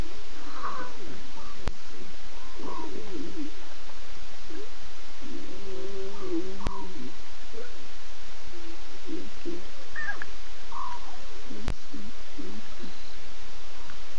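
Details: Three adult Nkuhuma lionesses contact calling and looking around with six chattering cubs, 8 September, 02:50 a.m.; a drawn-out low moaning call near the middle among short mews and steady hiss.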